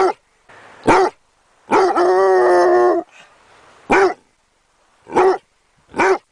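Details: Dog barking in a short sequence: a sharp bark, then a long drawn-out harmonic bark lasting over a second, followed by four more short, abrupt barks spaced about a second apart, with a faint low murmur between them.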